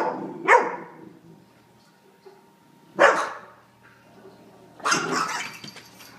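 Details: A teacup Chihuahua defending its treat against a Great Pyrenees puppy indoors: three rough, noisy barks spread over six seconds, the last one longer and more scratchy, with a constant background hum.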